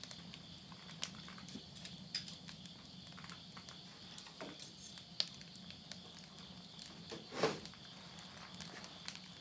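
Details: Insects calling at midnight at the end of summer, September 2020, in the countryside at Yurihama, Tottori, Japan. A steady, high, continuous shrilling drone runs throughout, with sharp pops and crackles from burning wood in a stove nearby.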